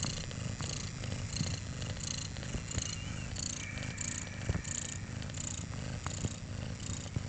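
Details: Kittens four days old purring, a continuous low vibrating rumble with fast even pulses and faint handling rustles.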